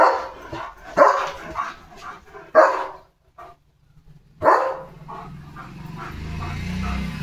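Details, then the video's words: Pet German Shepherd named Leo during a bath, barking in scattered loud bursts with a pause of about a second, then a low rumbling background of running water or movement. "Leo The German Shepherd ला दिली स्वच्छ अंघोळ"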